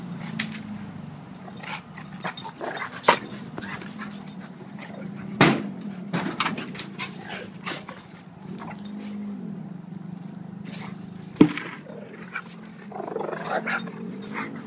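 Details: Play wrestling between two dogs, Duke the 7-year-old blue/red pitbull and Lucy the 7-month-old German Shepherd: intermittent low growls amid scuffling, broken by sharp thumps or knocks near 3, 5.5 and 11.5 seconds.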